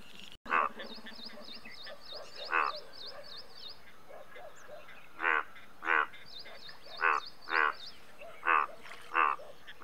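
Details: Indian bullfrog croaking: loud, rasping pulsed croaks come in separate bursts, sparse at first, then about once a second toward the end, over a steady chorus of rapid, high, repeated chirps from other calling animals.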